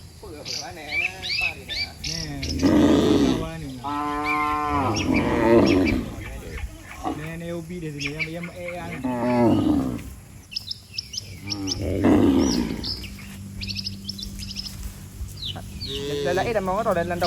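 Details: Dozens of cattle gathered in neat rows on a road call the herd home. Repeated overlapping moos rise and fall, some deep and rough, some higher and wavering, with birds chirping behind.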